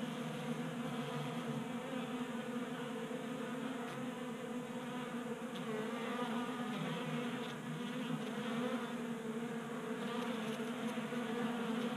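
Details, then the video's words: Dozens of honey bees feeding at a 3D-printed bee feeder in a Colorado garage, January heat keeping them active; even, rich droning hum of wings, with faint light ticks scattered across the recording. "45 Minutes of Honey Bees Feasting from 3D Printed Bee Feeder ASMR"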